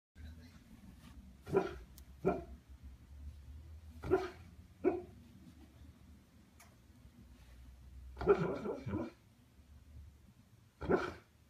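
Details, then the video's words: Steel, a sleeping Siberian husky, seemingly dreaming, gives short muffled woofs and moaning yips in irregular bursts over a low indoor hum. "Un husky «parle» en dormant"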